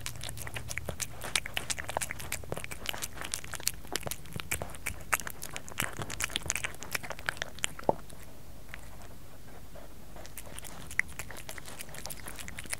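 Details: Kerry, a pet cat, crunching food indoors in close ASMR style; busy crackly bites and chews, then a two-second pause in the chewing before a few more crunches return.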